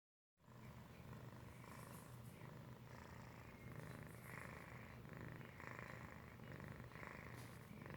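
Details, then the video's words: Felix, a domestic cat, purr-snoring while asleep: a steady low rumbling purr with soft breathy pulses recurring about every second, continuous throughout, indoors with no other clear sounds. "Felix purr-snoring"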